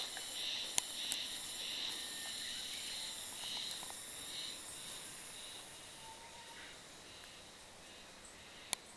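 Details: Cicada heard on 1 May, early in the season, at the inner sanctuary of Oyama Shrine during a wild boar patrol: a high, buzzy pulsing song repeated about twice a second, with a few sharp clicks.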